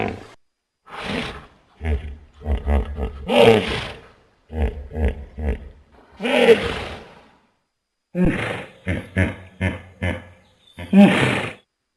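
A hippopotamus gives deep, rumbling growls broken into rapid pulsed grunts, repeated in bursts.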